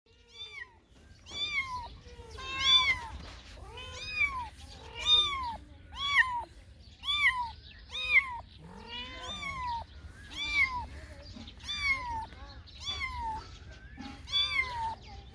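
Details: Cats and kittens meowing: a run of about a dozen arched, harmonic-rich meows, mostly rising then falling, some overlapping, roughly one a second with uneven spacing and a faint low hum beneath.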